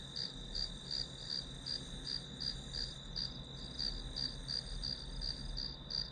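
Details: Grass insects in a one-hour study-with-me recording used as white noise; clear, evenly spaced high chirps, about seventeen in six seconds, over a steady shrill tone and soft low hum.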